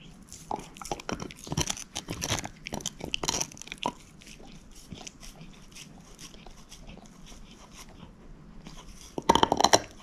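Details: Moose, a female shepherd mix dog, gnawing a bone indoors: clusters of sharp crunches and bites in the first four seconds, a quieter stretch of soft gnawing, then a loud burst of cracking near the end.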